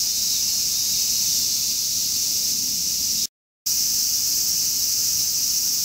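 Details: Large brown cicada in summer producing a continuous, harsh, frying sizzle high in pitch, interrupted by a short silent gap partway through, then carrying on unchanged.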